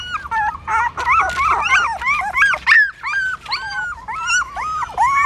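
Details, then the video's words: Hungry newborn puppies nursing from their mother at a pagoda stupa in Siem Reap, Cambodia; a steady stream of overlapping squealing whimpers, rising and falling whines from several pups, a brief pause near the middle. "Amazing puppies sucking mom milk that is natural feeding"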